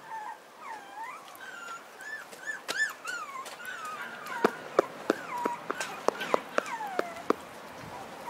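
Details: A male Pomeranian puppy, the only pup of his litter and born 28 March, whimpers in high, thin, bending whines, one after another.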